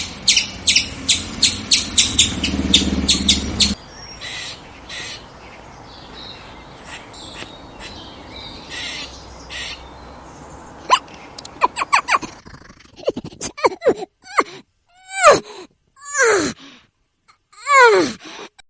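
A squirrel gives rapid, sharp chattering chips, then a series of harsh, downward-sweeping squeals.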